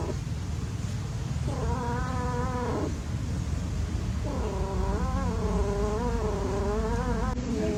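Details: Playing cats: two long, tremulous yowls, the first about a second and a half, the second longer and more wavering, with a steady low hum throughout.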